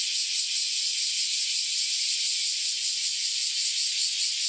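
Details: Chorus of cicadas that had just emerged after roughly ten years living underground: a continuous loud, high hissing buzz at steady volume, with rapid faint pulsing and no other sounds.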